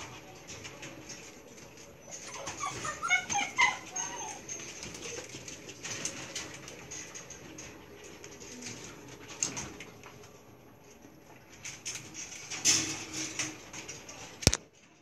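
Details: Belgian Malinois puppies, gray and dark sable, at milk feeding time: a burst of high, squeaky whimpers in the first seconds, then softer scattered squeaks among clicking and slurping feeding noises and a sharp knock near the end.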